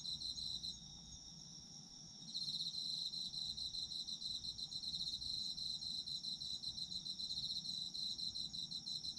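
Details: Autumn insects singing for a sleep soundscape: a continuous high whine at first, then from about two seconds a louder rapid pulsed chirping joins and carries on evenly to the end.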